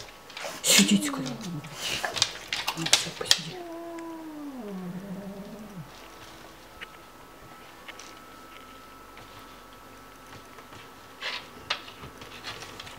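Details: An Oriental Shorthair cat attacking a Rottweiler spits harsh hisses and gives low, wavering yowls while a person gives the dog commands nearby.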